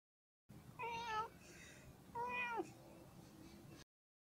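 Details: Friendly cat giving two clear, drawn-out meows about a second apart, each one harmonically rich, rising slightly then falling at the end, over a low background hum.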